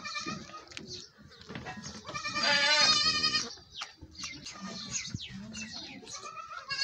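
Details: Milking session with a goat giving a long, loud, shaky bleat in the middle, rich in harmonics, surrounded by shorter softer cries and rustling.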